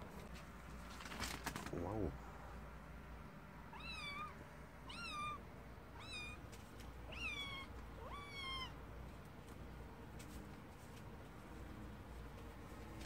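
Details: Kitten meowing in a run of five thin, high-pitched mews, roughly one each second, each rising then falling slightly, after a brief human voice at the start, over a low steady background hum.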